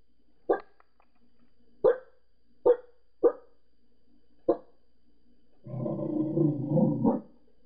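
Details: Pembroke Welsh Corgi barking at neighbours seen outside next door; five short, spaced barks, then a longer rough, growly rumbling burst near the end, indoors with little background.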